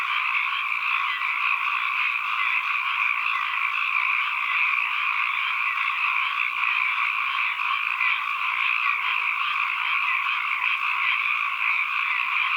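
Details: Many frogs calling together as ambient sound, forming a constant, shimmering chorus of overlapping croaks at mid-high pitch that never breaks or fades, with no other noises.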